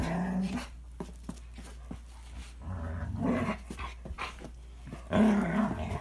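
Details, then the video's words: Toy Manchester terrier and Standard poodle fighting viciously, throaty growls at the start, mid-clip and a loud snarl near five seconds, with thumps and scuffling between the outbursts. "Toy Manchester terrier and Standard poodle get into vicious dog fight"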